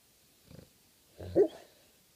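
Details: Thor, a pet dog, snoring and making odd noises: a short soft snort, then a louder rougher snore with a brief higher squeak at its end, in a quiet room.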